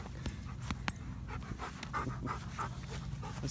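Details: Dog pants while Midnight, a once-starving stray black dog taken in during December 2017, is called and praised; uneven breathy puffs over a steady low rumble, with a sharp click near the start.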